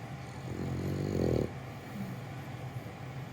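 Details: French Bulldog Gonta sleeping contentedly while held in someone's arms; a single low, rasping snore of about one second with a buzzy layered tone, then quiet breathing over a steady low hum.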